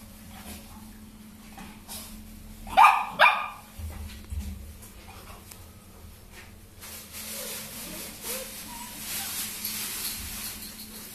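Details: A Dogo Argentino gives two sharp, loud barks in quick succession near the start. Quieter rustling follows, then a steady hiss of broadband noise fills the rest.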